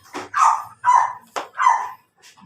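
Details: Pomeranian in Labrador, Pangasinan, Philippines, barking: four sharp, high yapping barks in quick succession over about two seconds, each short and bright, with a fainter fifth yap at the end.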